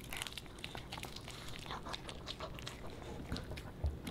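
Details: Softer bites and crinkly crunches as the Pomeranian puppy Boba Bear works through fish and chips, scattered clicks spaced under a second apart against a faint low rumble.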